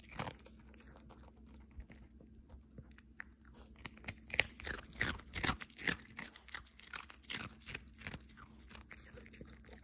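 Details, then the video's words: A Pomeranian named Cookie eats in a close ASMR recording made in December. Loud crunchy chews arrive about two or three per second, uneven and crackling, strongest in the middle, in a small quiet room. "Cookie 🤍ASMR"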